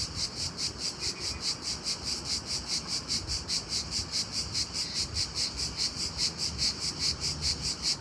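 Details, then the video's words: A cricket chirps loudly by day. Evenly spaced, shrill, buzzy pulses come roughly two to three per second with very regular timing over a faint low background hiss. "Unbelievably loud cricket chirping sound in day time."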